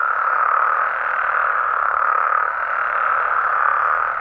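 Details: Mexican frogs and toads at night produce a thick, uninterrupted chorus, a steady buzzing drone of many overlapping callers in the middle range.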